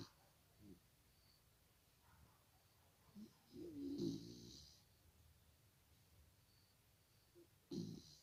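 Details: English Cocker Spaniel puppy named Iriska asleep and snoring softly: faint breaths, then one longer rasping snore building and fading mid-clip, and a short snort-like snore near the end.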